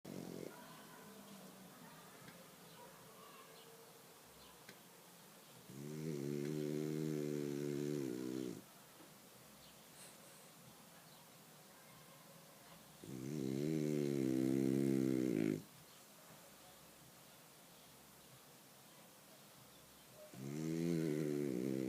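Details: Sam, a sleeping dog, snoring like a steam locomotive: three long, rasping, droning snores of about two to three seconds each, roughly seven seconds apart, with quiet breathing between and a faint low hum behind.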